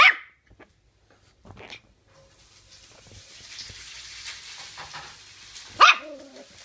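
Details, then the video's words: Toy Terrier named Nikita, a pet dog indoors, playfully fighting a person's hand: two sharp high barks roughly six seconds apart, the second ending in a short falling whine, with quiet rustling between. "Toy terrier Nikita's fight against my poor hand"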